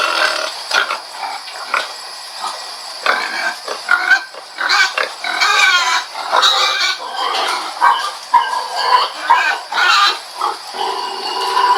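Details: Pig giving a busy run of harsh squeals and grunts, several rising and falling harmonic cries bunched in the middle, over a steady high-pitched hiss.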